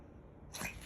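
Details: Morning sneeze from Gonsuke, a male pug puppy born 26 October 2021: a short, sharp broadband burst bursting out after about half a second of near quiet, then fading quickly.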